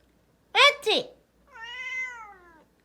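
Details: Pet cat indoors reacting to a person's fake sneezes: two sharp, breathy sneeze bursts, then one drawn-out, harmonic meow lasting about a second that falls slightly at the end, apparently scolding.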